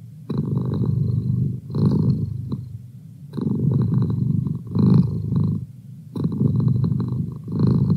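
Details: Male household cat purring in an even rhythm: buzzing low-pitched rumbles in alternating loud and quieter phases tied to breathing, with brief near-silent gaps.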